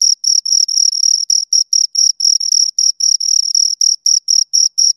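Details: Pair of crickets heard right at the ear, rubbing wings or legs to chirp; shrill, rapid pulses repeat roughly four times a second, some running together into longer bursts, against a silent background.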